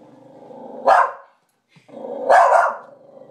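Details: Pet dog Charlie barks at his mirror reflection one night, treating it as an intruder; two loud, broad barks about a second and a half apart, each rising out of a low growling rumble.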